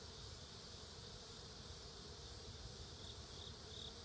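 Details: Honey bees gathering food fill the air with a steady, low, droning hum of many wings; Western honey bee.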